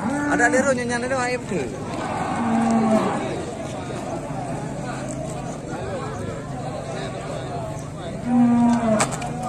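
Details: Cattle loose at a market, lowing with short flat moos near the start, around three seconds and again near nine seconds, over a constant background of crowd chatter and market noise.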